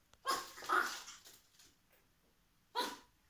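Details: A 3-month-old male chocolate Chihuahua puppy gives short, sharp, high-pitched barks in play, with quiet pauses between bursts.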